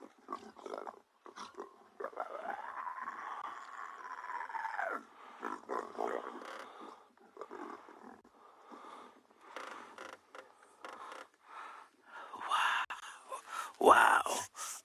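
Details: Wild leopards at sunrise on 24 June 2022, a young female cub stealing her mother's kill. A long rasping growl lasts about three seconds, then broken snarls and gruff bursts follow, ending in a loud harsh outburst.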